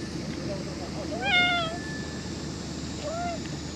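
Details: Cat, apparently one of the stray cats featured, giving a short drawn-out meow followed by a second brief, softer meow, over steady broadband background noise.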